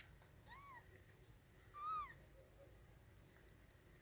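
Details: Two brief, thin mews from newborn kittens delivered by their mother inside a wardrobe, the second louder and more drawn-out, over a quiet indoor background with a faint click.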